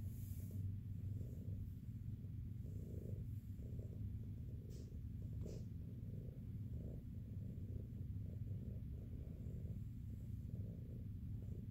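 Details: Soft continuous purring from Jiji, a fluffy female cat at SBACC shelter, as her fur mats are checked. A deep, even rumble throbs in regular waves for about twelve seconds, with faint rustling of handling.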